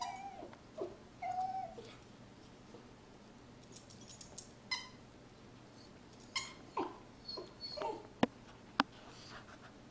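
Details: Crying while she kills her toy Mr. Fox, the Miniature Poodle Sarah gives steady high whines early on, then short broken whimpers and snuffling bursts, with sharp clicks of toy and paws near the end inside a small room.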